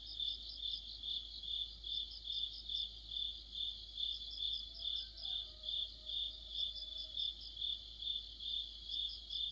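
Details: Crickets with other insects chorusing in autumn by a streetlight, producing a bright continuous trill that rises and falls in regular beats over twice a second; faint soft tonal notes drift underneath midway.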